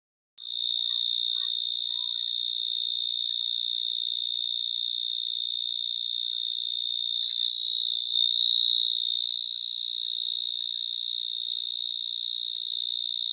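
A cricket trills loudly and without pause, a high, steady ringing buzz.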